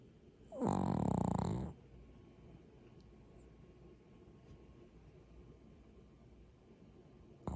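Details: A Maltese asleep gives one rough, low snore lasting about a second, followed by several seconds of near silence indoors.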